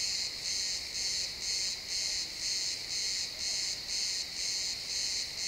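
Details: Sunset cricket chorus in a pine forest, recorded in XY stereo: shrill, buzzing chirps pulsing steadily about twice a second, continuous and regular, with a low hush of woodland air.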